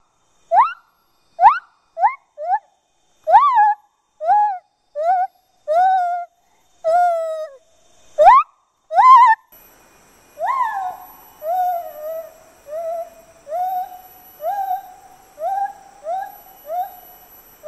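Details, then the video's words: Male lar gibbon, also called white-handed gibbon, singing: a series of clear hooting notes, each rising then dipping, repeated about once a second and growing into longer swooping wails, with a steady high whine in the background during the second half. "Lar Gibbon Singing (Male)"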